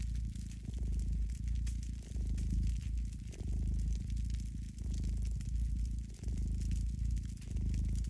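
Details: Pet cat purring close to a fireplace: a deep, low rumble rising and falling in long breathing cycles, with short quiet breaks between bursts. Faint crackling ticks from the fire sound throughout.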